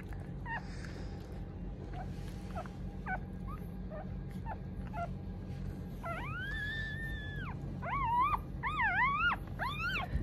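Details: Newborn Mame Shiba puppies, one of a litter of three (two males, one female; two red, one black) born December 19: short high squeaks, then a long sustained harmonic wail and several rising-falling whines near the end, over steady low hum.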